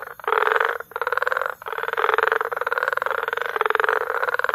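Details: Croaking frogs in Bagamoyo, Tanzania, during May, a 'frog concert' of rapid rattling pulses in long bursts broken by brief pauses, with overlapping callers keeping the sound nearly continuous.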